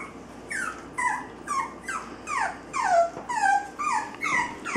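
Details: Cavalier King Charles Spaniel puppies, almost 6 weeks old, a litter of five males and one female born November 15, 2012, giving high whimpers that slide downward with bright overtones, repeated about twice a second.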